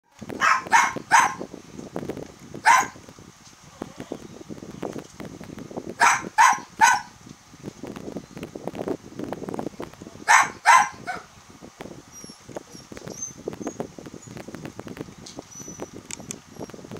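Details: Long-coated Chihuahua puppy, a brown-and-white male 33 days old, born to a champion mother at a breeder in Kochi, Japan; several sharp high yelps come in short bursts of two to four, separated by quieter rustling and handling noises.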